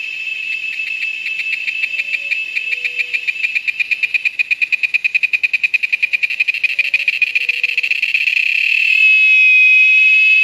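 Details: A cicada at a lodge in the Amazon gives a shrill, buzzy call of fast pulses that quicken and merge into a continuous high drone, with a few soft, low whistled notes faintly behind.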